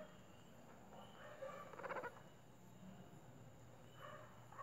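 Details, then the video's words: A guinea pig purrs while being petted at home, a soft, rapid vibrating purr that swells briefly, then fades back into quiet. "¡Increíble! Cuyo hace sonidos extraños"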